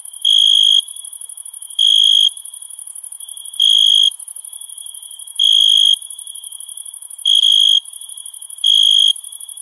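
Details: Crickets in a summer night: six evenly spaced trilled chirps, each short and bright, repeating about every 1.7 seconds against an unbroken high hiss of other insects.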